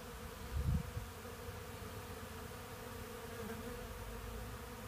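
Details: Hundreds of Western honey bees (Apis mellifera) gather sawdust from freshly milled Black Locust sawlogs at a portable sawmill, attracted by the sweet, fragrant wood; a steady, low droning wing hum with a brief deep thump near the start.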